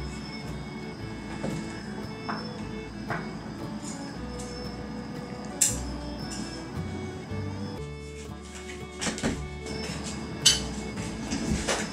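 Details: Soft background music with scattered knocks, a sliding-door rumble and faint indoor clatter, no animal voice.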